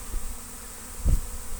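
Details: Swarming honey bees arriving in large numbers at a house in Destin, Good Friday 2025, during swarm trapping; a constant humming drone under a heavy low rumble, with one loud thump partway through.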